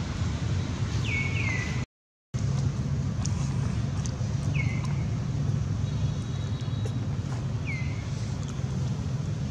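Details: Baby monkey Baron, held by monkey Bridget, cries to its mother with high plaintive calls sliding down then leveling, about four in the stretch, heard over a steady low hum, with a brief silent break near the start.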